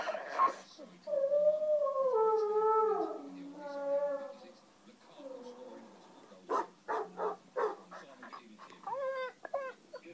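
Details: Other dogs barking, growling and crying, listened to by a Shih Tzu cross Jack Russell dog: drawn-out wavering howl-like whines with layered tones for about four seconds, a pause, then short sharp barks and a closing yelp.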